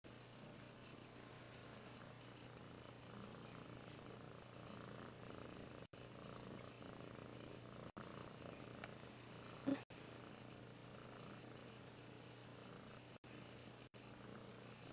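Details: Russian Blue cat (Felis catus), purr.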